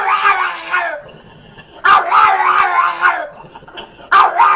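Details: Small dog with an unusual bark: drawn-out, wavering, howl-like yelps with a nasal, harmonic tone, three long calls separated by short pauses.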